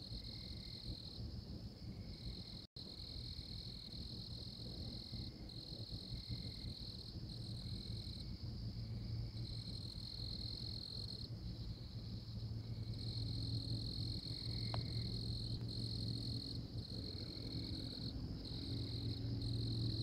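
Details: Tree frog in Oklahoma calling with a steady, high ringing trill in long stretches broken by short pauses, over a low constant hum and soft background noise.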